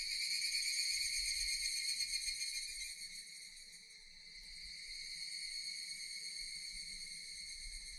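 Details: Continuous high-pitched droning of Japanese cicadas, dipping slightly in loudness midway and swelling again, with a soft pulsing texture.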